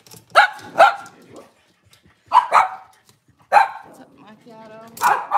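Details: Kitchen-cam Cavalier King Charles Spaniel on a cloudy Monday morning, barking in short bursts: a quick double bark, a pause, two more single barks, then a thin high whine before another bark at the end.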